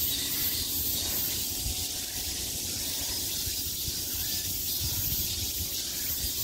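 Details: Summer cicadas buzzing on every side, a constant high-pitched sizzling drone with an even loudness and no breaks from start to finish.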